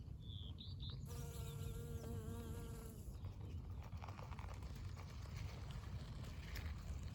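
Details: A pollen-covered honey bee flies over a blooming spring dandelion, its steady, droning wing buzz passing for about two seconds over a low rumble.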